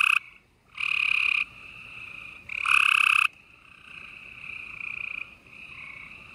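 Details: Night chorus of gray treefrogs in Houston, Texas, late April 2020: two loud, long musical trills stand out over a steady bed of fainter trilling frogs.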